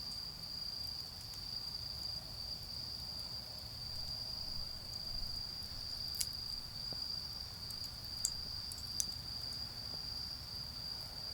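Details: A constant shrill insect trill fills an autumn night in a garden where a bonfire burns, with a few loud snaps from the fire and faint low rumbling underneath.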